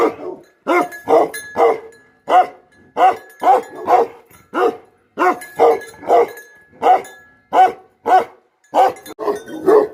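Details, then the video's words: Livestock guardian dog, Bhote Kukur, barking in irregular bursts of two or three deep, gruff barks separated by short pauses. "Guardian Dog Barking Sound || Best Guardian Dog || BhoteKukur"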